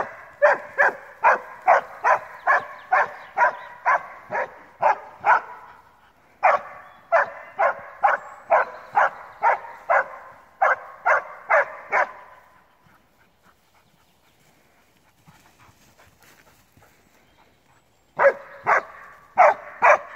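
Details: Alpine Dachsbracke at its first wild boar encounter, barking for about thirty minutes: long runs of rapid, evenly spaced barks, roughly two per second, broken by a six-second quiet gap before barking resumes.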